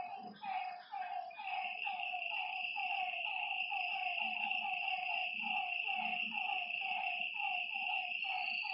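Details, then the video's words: Lakeside frogs at night calling in a busy overlapping chorus of short, throaty notes in rapid succession, with an unbroken high insect buzz behind and a few soft low bumps. "Lakeside night creatures and frog sounds"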